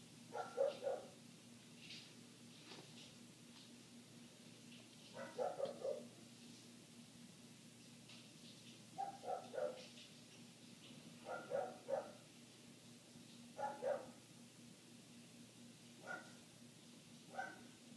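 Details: Persistent barking from a neighbor's dog, heard inside through shut windows; dull, muffled pairs and triplets of barks recur every couple of seconds above a steady background hum.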